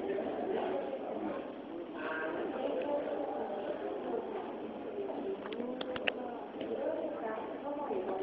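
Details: A swimming beluga whale at Kamogawa Sea World aquarium gives a busy stream of squeaky whistles, chirps and warbling tones.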